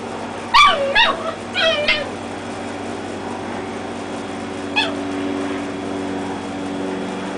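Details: Dachshund puppies, red ones against black and tans, play-fighting: a quick burst of three high, squealing yips with rising and falling pitch, then quiet, then one more sharp yip. A faint steady hum runs underneath.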